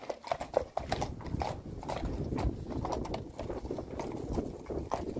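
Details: Hooves of Friesian mares, six together, striking the ground in quick irregular clip-clop beats with heavy low thumps, steady throughout the few seconds, no other clear sounds.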